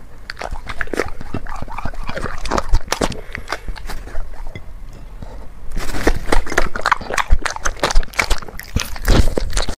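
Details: Close-up ASMR recording of a black pet dog eating chicken and vegetables; wet chewing and snuffling smacks, softer in the middle, then a burst of louder, faster crunching toward the end.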